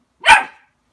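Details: Single short, sharp bark from a Border Collie confronting its reflection in a mirror, abrupt onset and quick fade, clean silence around it.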